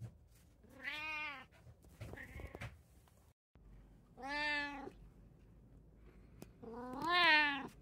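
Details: A cat in a home with three cats, recorded 16 June 2024, gives three drawn-out, wailing meows, each rising then falling, spaced a few seconds apart, the last one loudest, in a quiet room.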